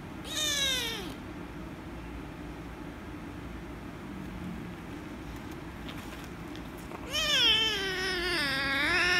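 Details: Angry rescue kitten protesting loudly at being petted: a sharp falling meow, several seconds of near silence, then a long wavering, drawn-out complaint with a raspy edge.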